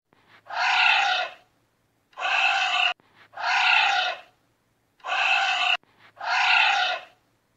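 A giant anteater gives a series of harsh, hoarse, roaring calls, each about a second long.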